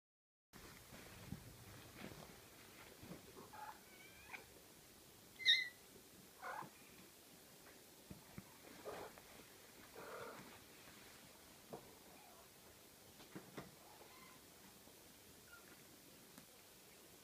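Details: Six-week-old Ocicat kittens indoors, giving a few faint, short high-pitched mews and one louder sharp squeak near the middle, over a soft steady background hiss with light rustling.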